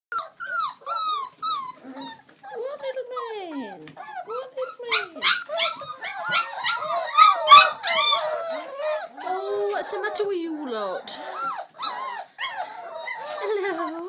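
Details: Old English Sheepdog (Bobtail) puppies, the last of a litter, giving high, wavering whines and yelps that slide up and down in pitch. Several overlapping cries rise into a dense chorus of squeals midway through.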